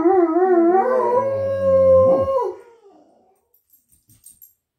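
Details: A Great Dane and a Poodle howl together in long, wavering, harmonic tones that slide and fade, reacting to something outside, perhaps a bird or squirrel in the yard; dog.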